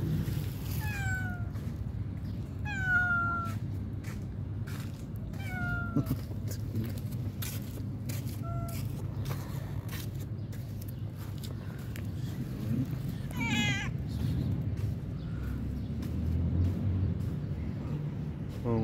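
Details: Homeless stray cats, among them a pregnant female, waiting for food; several short, falling meows with ringing overtones come every few seconds, then a longer wavering meow midway, all over a steady low rumble like passing traffic.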